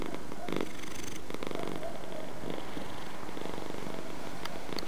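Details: Purring domestic cat, low rumble with a few uneven bursts, less regular than a steady breathing rhythm, heard over a faint background hiss.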